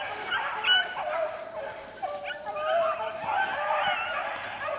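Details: Four-month-old Beagle pups outdoors in the wild, 2013: overlapping drawn-out wavering howls and yelps blending together, with a constant shrill insect-like hum behind them.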